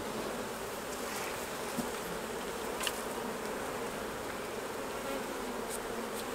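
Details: Hived honey bees during honey harvesting make a thick, continuous drone, with a few faint sharp clicks and ticks scattered over the steady buzz.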